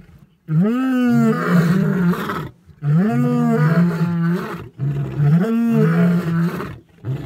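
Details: Three male lions (Panthera leo) roar together in long, deep, moaning bouts to defend their shared territory; tagged Kruger, Africa.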